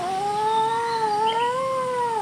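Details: Kitten talking back to a person: one clear, sustained meow lasting about two seconds, steady in pitch with a gentle rise near the end, quiet room behind it.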